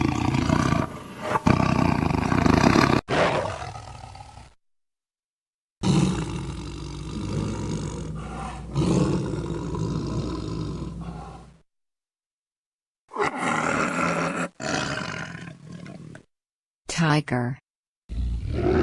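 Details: Tiger (Panthera tigris), roar.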